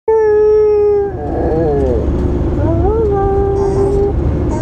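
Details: Lancashire Heeler dog singing in a car during a drive, 14 February 2010. A long, steady howled note opens, then breaks into wavering, bending tones before settling into another sustained howl. Continuous engine rumble underneath.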